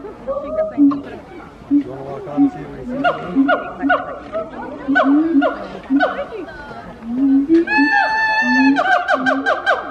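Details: Siamang gibbon wake-up call: repeated short barking hoots about once a second building into a dense burst of rising, sharply swooping whoops near the end, with a low steady tone beneath.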